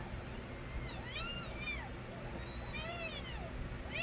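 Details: Several stray kittens, the young of a cat named Nabi, crying loudly: overlapping high, arched, harmonic meows that rise and fall, coming in clusters near the start and again toward the end over a steady low background hum.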